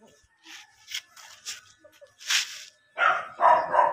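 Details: German Shepherd puppies offered for sale: after a second of soft clicks and rustling, a burst of noise, then three loud, short, yelping barks in quick succession close the recording.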